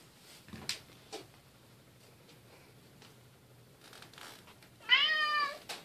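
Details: Silver Bengal kitten Keylala playing with sister Luna and mother Xia; one short, high, bright meow near the end, with soft bumps and scuffling from play before it.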